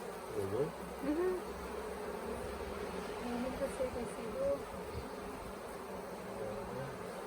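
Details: Honey bee swarm, late in the year, that had settled for a few days on the grounds of the Tamarind Tree Hotel, being caught into a nuc box: a dense, steady hum of many wings with brief tonal sounds over it.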